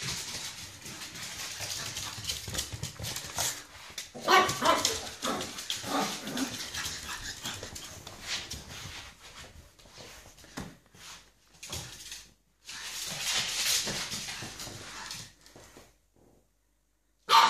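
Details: A 9-week-old male pug puppy, scared of gloves, lets out scattered yips and barks over steady rustling and handling noise, which stops in a brief silence near the end.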